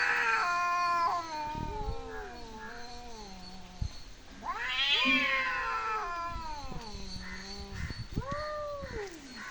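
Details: Cat producing weird, moaning meows that swell into a high, rising cry and then fall away, closing with a shorter arched meow.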